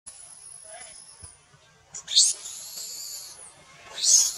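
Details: Wild baby monkey at Angkor Wat, Cambodia, riding its mother's back and crying in anger when she will not give it milk: a long thin high whistle, then two shrill, harsh scream bursts.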